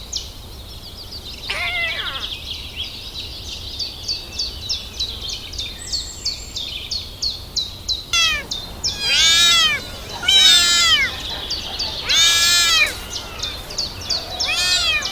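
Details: Crawling kittens calling for their mother's milk; after a quiet start with distant chirping, loud wavering mews pour out in overlapping bursts, several kittens crying at once over a constant high twittering background.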